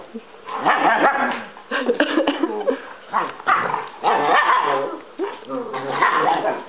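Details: Playful scuffle between Chief, a German Shepherd, and Pepe, a Basset-Lab mix; loud rough growling and throaty bark-like bursts come in repeated waves, mixed with a woman talking to the dogs.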